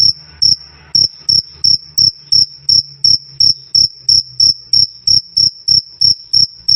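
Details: Cricket giving loud, clear 'krik krik' chirps for tutoring songbirds: evenly paced high, piercing chirps about three per second, with a faint low background hum.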